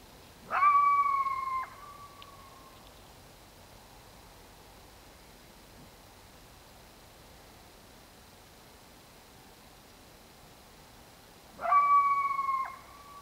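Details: Coyote calling at dark: two bursts of high, sustained howling with a steady tone and harmonics, the first at the start lasting over a second and sliding down, the second near the end, quiet background between.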